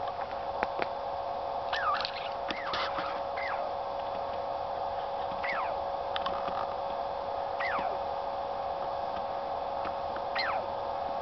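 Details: A native Douglas squirrel (Tamiasciurus douglasii) gives sharp, downward-sliding whistled calls at irregular intervals over a steady background hum.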